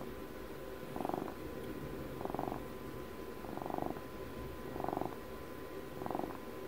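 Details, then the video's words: A domestic cat's purr recorded at close range, five rhythmic rumbling pulses spaced a little over a second apart, each rising and fading with the breath, low hum underneath. "ASMR CAT PURRS"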